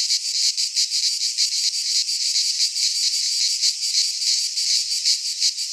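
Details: Greek cicadas in a pine forest at midsummer produce a steady shrill buzzing, swelling and fading in rapid pulses, filling the whole recording without other sounds.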